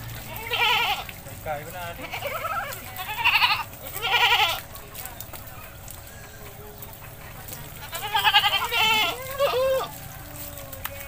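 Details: Goat in a village during its bath, bleating several times in short wavering bursts over about ten seconds, while human voices chatter throughout.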